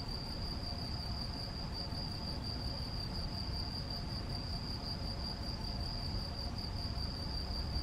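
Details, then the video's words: A male field cricket (Gryllus campestris) at Macieira da Maia, Vila do Conde, Portugal, on 7 May 2021 sings a steady, high, shrill trill of rapid pulses. "Grilo-do-campo (Gryllus campestris) - Macho"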